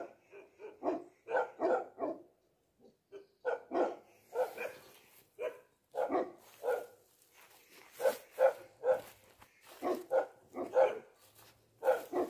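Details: Bhote dog, the Tibetan Mastiff, giving a resounding voice: deep, loud barks in quick runs of two to four, with short pauses between bursts, repeated steadily throughout with no other clear sounds.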